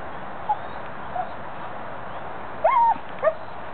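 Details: Pet Weimaraner squealing at squirrels: a couple of faint short squeaks, then a longer high whine that rises and falls, followed by one brief squeak, over a steady background hiss.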